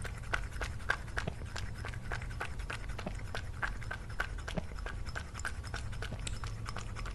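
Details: Cat eating food in an ASMR lunch compilation featuring Lily: a steady run of sharp crunching clicks, roughly two or three per second, over a low constant hum.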